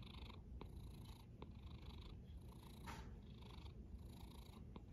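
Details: Deep, rumbling snore from a cat, with a hissy breath phase repeating roughly every second over a constant low drone.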